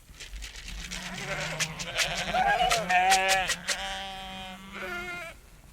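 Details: Sheep bleating in long, drawn-out, wavering calls that run almost continuously. A low, steady voice is overlaid by a brighter, quavering bleat around the middle. There is little background noise.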